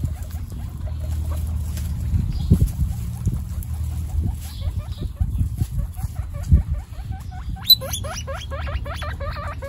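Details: Guinea pigs, including three babies named Snow, Pistachio and Pumpkin, meeting for the first time in a household of 29 guinea pigs; soft short hooked chirps recur amid low rustling thumps, then a burst of loud, rising, squealing whistles repeats rapidly near the end.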